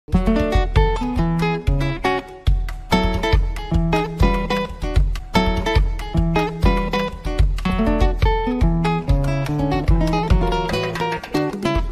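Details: Rhythmic strummed acoustic guitar music in a flamenco-like style plays throughout, with no animal voice.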